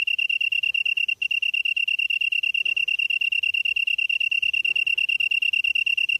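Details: Evening chorus of a grass insect, recorded at 7:59 PM in September 2016 in Namyangju, Gyeonggi-do, Korea: a continuous, shrill, rapidly pulsing trill at one constant pitch, with a tiny hitch near the start and faint low background rustle.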